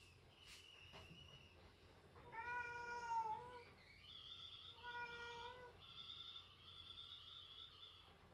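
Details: Pet cat Latte meowing indoors while scolding its owner, who pesters it for food; two faint short clicks, then several drawn-out harmonic meows, each about a second long, the second loudest and slightly falling, in a quiet small room.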